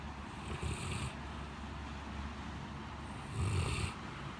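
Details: Blanche, a male Great Pyrenees, sleeping heavily in a cooled living room on a very hot day after a typhoon, snoring: two raspy, rumbling breaths about three seconds apart, each with a hissy airy edge.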